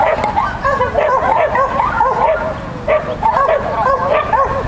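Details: Shetland Sheepdog Lesya competing with a child at a Child and Dog event on 31 May 2015, giving sharp repeated barks in fast bursts with brief pauses, a child's voice audible.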